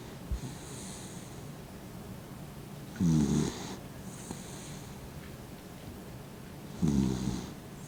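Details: Fifteen-year-old blind dog Mint sleeps with half-open eyes, snoring in low, raspy, harmonic bursts roughly every four seconds; the quiet breathing between snores is barely audible.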